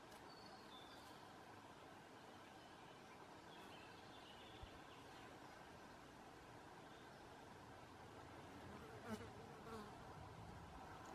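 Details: A large male stag beetle (Lucanus cervus) in flight in Belgium on 20 June 2018 makes a low, steady, droning buzz from its beating wings.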